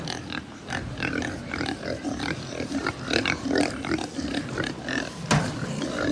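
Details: Many pigs at a pig farm in Japan: a dense, overlapping mix of short low grunts and brief higher squeals, with sharp clanks and thumps scattered throughout and a steady background hum.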